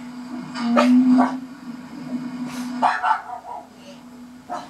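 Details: Linus the pug, angry at a garbage truck, gives several harsh, broadband barks in uneven bursts over a steady low engine-like hum, with quieter gaps between outbursts.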